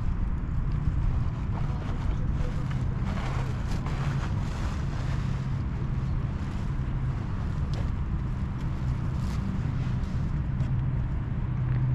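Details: Heavy low rumbling wind buffets the microphone throughout, with faint indistinct background sounds and no audible animal calls.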